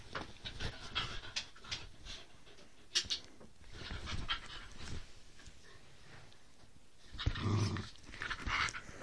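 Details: Two pet Whippets, a three-year-old named Roxy and a seven-week-old puppy named Lilah, play rough indoors: low rumbling growls and panting come in bursts, with scuffling and clicking sounds throughout and a louder flurry near the end.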